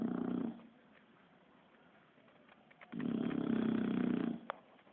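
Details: Asleep, the Bulldog Kiára produces two throaty snores, one fading out at the start and a longer, louder rumbling one after a quiet pause of over two seconds.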